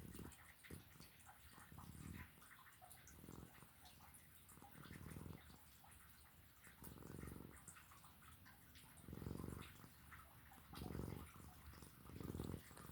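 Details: Sleeping cat snoring indoors: low, rumbling breaths in broad pulses roughly every one and a half to two seconds, steady and unhurried, with faint room noise between.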